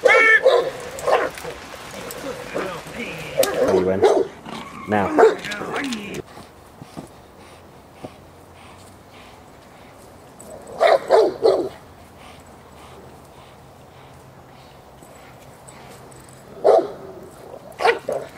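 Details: Protection work by J7's Kelly, an Irema Curto line Presa Canario bitch, at De la Arena field, Germany. Rapid, forceful barking fills the opening six seconds, with human voices mixed in. Short bark clusters return near eleven and seventeen seconds over a quiet background.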